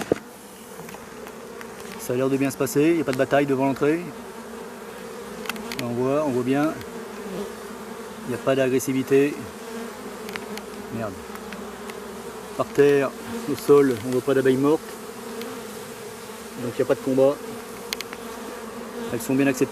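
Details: Bees of a drone-laying colony buzz around after their frames are shaken out some fifty metres from the apiary. A low steady hum runs throughout, broken by intermittent swooping buzzes as single bees fly near, in bursts every few seconds.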